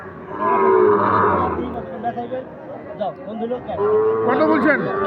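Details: Sahiwal bull calves for sale at Ambari livestock market; two drawn-out lowing moos, one at the start and one near the end, separated by busy crowd chatter and bargaining voices.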